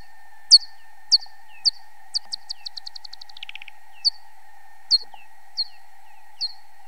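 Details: Real bat call recorded as ultrasound and slowed by time expansion to make it audible: spaced downward-sweeping chirps, then a fast accelerating run of pulses like a feeding buzz, then more spaced chirps; a steady faint hum throughout.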